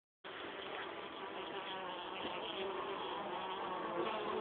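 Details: Honey bees bringing pollen into the hive: a dense, steady buzzing hum of many bees, holding constant throughout and growing slightly louder toward the end.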